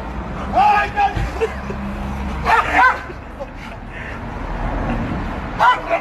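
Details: A protective German Shepherd gives sharp, ringing barks in short bursts, with people talking nearby.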